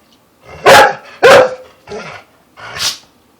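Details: Female house dog, prompted by her owners, barks four times in under three seconds. The first two barks are loudest and harsh, and the last two are weaker and shorter.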